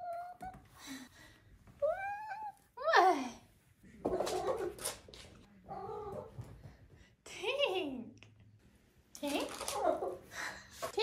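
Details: Five-month-old female Maine Coon kitten making a chatty series of meows and chirping trills. Some slide downward and some waver. Human speech is heard between and over the calls.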